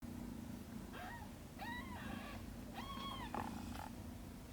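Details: Shin, a domestic cat caring for aunt Camel's kittens, with three short, high arched meows, each rising then falling, spaced about a second apart over a steady low indoor hum.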